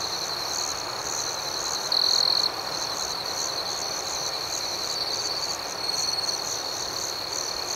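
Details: Night cricket chorus with a continuous high-pitched ringing trill and quick rhythmic pulsing chirps above it; one brief louder trill stands out early, then a softer swell near the end.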